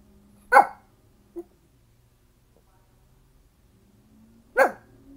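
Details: Dog barking at the garbage truck: two loud sharp barks about four seconds apart with a short faint sound between, low engine-like hum in the background.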